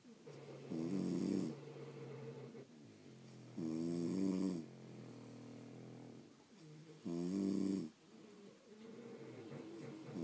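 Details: French Bulldogs sleeping indoors produce deep, grumbling, vibrating snores about every three seconds, each nearly a second long, with low breathing rumbles filling the gaps.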